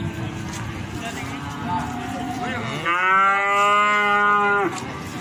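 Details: At the Plaosan cattle market in Magetan, Indonesia, a cow gives a soft low call, then a loud, rich, sustained moo from about three to nearly five seconds, with market noise behind.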